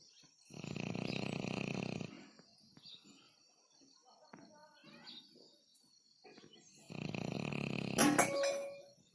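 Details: Dog asleep and snoring, two drawn-out raspy snores about five seconds apart, separated by faint rustling and soft clicks, with a sharp brief noise near the second snore.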